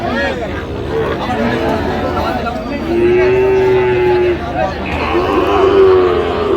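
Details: Sahiwal bull calves at a busy cattle market in Bangladesh, 2 January: a long, steady, mid-pitched moo with a shorter one following, over constant crowd chatter and talking.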